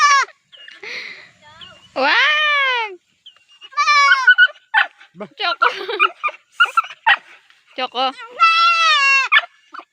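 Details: Baby goat giving a series of short, high bleats, some rising then falling, others brief and clipped, spaced irregularly across ten seconds with a longer drawn-out bleat near the end.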